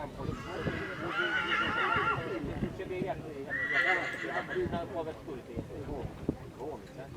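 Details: Polish Coldblood stallion, born 2019, gives two whinnies: a wavering one of about a second, then a shorter, sharper call. People talk throughout, with occasional knocks.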